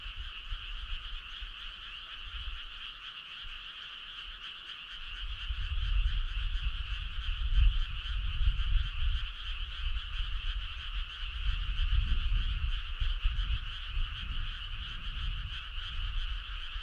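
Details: On a midsummer night on a country road, frogs croak in a dense, overlapping chorus of low, rapid pulses over a steady insect hum.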